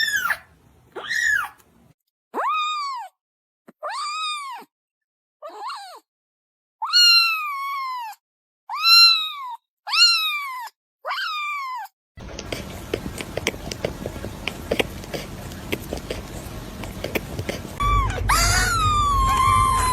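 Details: Kitten giving a run of high, arching meows, about nine in twelve seconds, each rising then sliding down, spaced by short silences; several seconds of loud broadband rustling noise follow before one last meow at the end.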